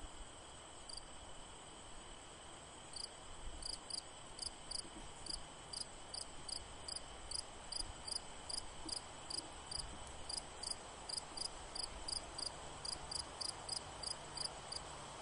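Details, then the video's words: A cricket calling with a rapid series of short, sharp, high chirps, evenly spaced and briefly pausing twice, over a steady background hiss. "Cricket sound"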